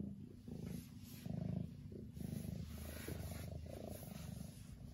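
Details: Lily the domestic cat purring, a dense low vibrating rumble that swells and fades in slow breaths, with a faint high steady hiss above.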